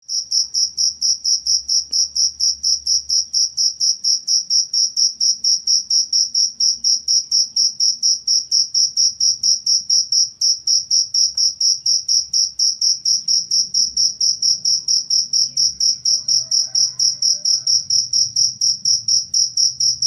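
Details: Cricket chirping, offered as a master recording for training songbirds and as a rat repellent. Steady high, pure pulses repeat about twice per second in an unbroken even train, over a soft low indoor hum.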